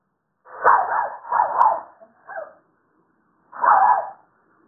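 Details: A Toy Poodle outside gives a few sharp, mid-pitched barks and growls, asking to be let into the house, to no avail.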